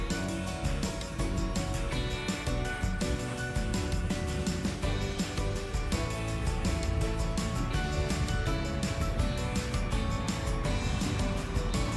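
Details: Steady instrumental music with a strong beat and guitar-like tones plays throughout, with no animal voices heard.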